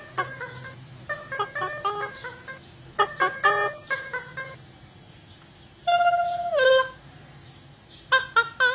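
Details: Otters calling in a string of short, clear chirps with rich overtones, grouped in quick bursts of two to four notes, with one longer note sliding downward midway; faint low background hum throughout.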